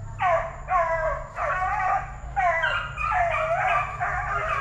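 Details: Young Plott Tan hounds (Plott hound × black and tan coonhound), eight weeks to five months old, raised at TTG Kennels: loud, drawn-out howling bawls in two bursts, each note sliding downward, over a constant low droning hum.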